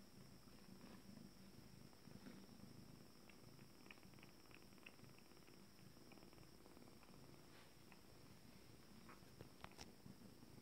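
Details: Low continuous purring from a cat with its first litter, 26 days on, once calm is back indoors; an even rumble throughout, dotted with a few soft clicks and taps near the end.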